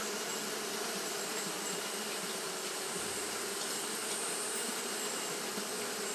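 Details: Wing-fanning Japanese honey bees on a hot day make an unbroken, even, buzzing drone with a broad hiss of overtones and no pauses.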